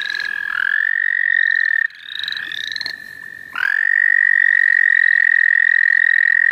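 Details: Frogs calling in the St. Olaf College Natural Lands: a loud, steady, even-pitched trill held for several seconds, broken once, then resuming, with higher rising chirps from other frogs repeating above it.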